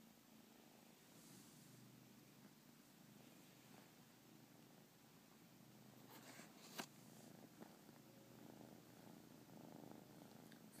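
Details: Mellow, relaxed newly adopted pet domestic cat purring while hanging out with its owner indoors: continuous low rumbling purr with even pulsing, a brief sharp click near the middle and faint handling sounds.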